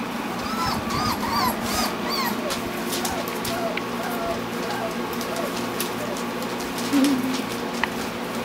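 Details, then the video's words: Eight black Standard Poodle puppies, four weeks old, four males and four females, playing together; high, wavering whimpers and yips rise and fall repeatedly through the first half, with a human voice speaking in the background. "8 Standard Poodle Puppies Playing - 4 Weeks Old"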